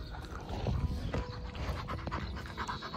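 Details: Leonberger dogs during a chaotic sit-down, heard as steady rough panting breaths with low rumbling texture throughout, a few faint higher tones and light background noise.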